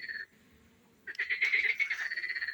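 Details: Frogs singing in a garden pond: a brief high note, a short pause, then a rapid pulsed, rattling trill that swells and holds steady until the end.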